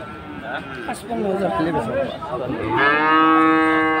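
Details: Friesian and cross-breed bull calves at Aftabganj cattle market, Dinajpur, on Saturday 18 March; market voices murmur at first, then a long, steady, mid-pitched moo rich in harmonics runs from about three seconds to the end.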